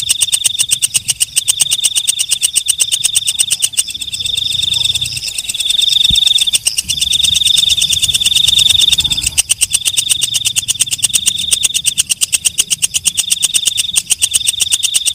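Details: Walang kecek, a night grasshopper, calling at night: a fast train of dry ticking pulses, roughly three per second, over a steady high shrill band. The pulsing breaks briefly near the middle while the shrill tone continues.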